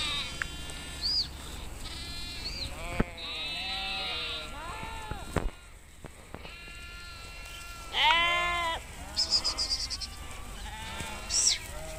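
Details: Nomadic sheep herd grazing in Kashmir; many arching, quavering bleats from several animals, high and low voices overlapping, a brief quiet spell midway, then loud trembling bleats resume, with a steady low hum beneath.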